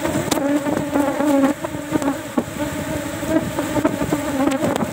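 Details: Cultivated Asian honey bee colony (Apis cerana) disturbed while honey is taken from a hive box, with little honey and no flowering season yet; loud continuous humming drone, slightly wavering, broken by frequent sharp clicks and knocks of the frames.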